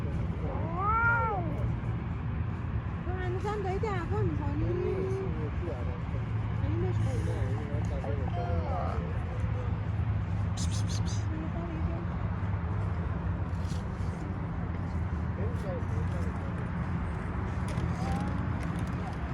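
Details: Stray street cat being petted outdoors, giving several arched, rising-then-falling meows in the first nine seconds, a few harmonics stacked above each, then growing quieter; a steady low hum and scattered clicks run underneath throughout.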